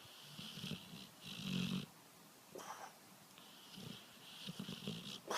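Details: Dog snoring in the way a man does: rough, wheezy breaths in bursts about a second long, with a low hum under a hissing upper band, repeated at uneven intervals in a quiet room.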